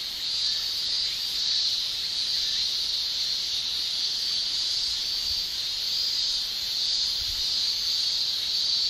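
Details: Japanese summer cicadas shrill in a steady, high, unbroken drone that swells and fades slightly but never stops.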